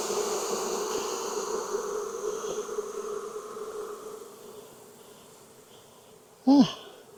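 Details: Hive of honey bees in Texas during an inspection on a hot day following weeks of rain; a strong, even droning buzz fades gradually after about four seconds, then a brief sliding squeak-like sound near the end.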